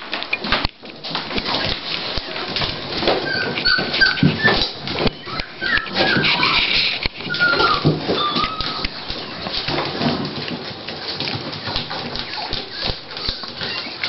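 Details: Dolly, a female Toy Pinscher, at the start of labour as she prepares to give birth to puppies; she gives repeated short, high, wavering whines and whimpers over rustling, clicking and handling noises indoors.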